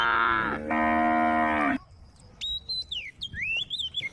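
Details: Female cows in a group on a road, calling the herd: one long harmonic moo lasting over a second, then quiet with bird chirps and whistles.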